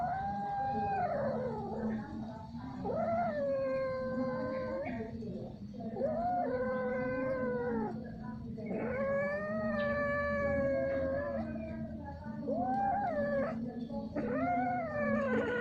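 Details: During repeated, lengthy mating, a domestic cat gives a run of about six loud, drawn-out yowls, each a few seconds long, some rising then sagging, separated by brief pauses, against a steady low background hum.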